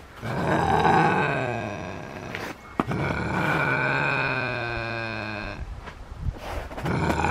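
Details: Max, a male Canada lynx, growls long and deep: a sustained, vibrating rumble that swells and wavers, breaks briefly with a sharp knock, then resumes, ending in uneven grunting bursts.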